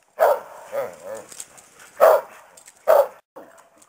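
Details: Karelian Bear Dog mother barking at her pack, apparently scolding them for getting rowdy during play; loud sharp barks mixed with growly yips, about four bursts within four seconds.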